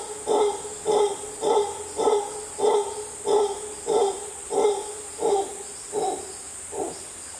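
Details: A howler monkey in the jungle of Costa Rica howls loudly in a series of deep, guttural roaring grunts, repeated a little under twice per second.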